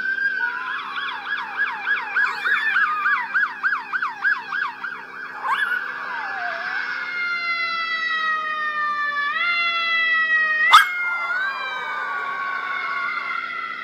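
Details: A male Russian Toy Terrier in Manhattan howls in long, steady, harmonic tones that step in pitch, mimicking a wailing NYPD police siren as he does whenever he hears one.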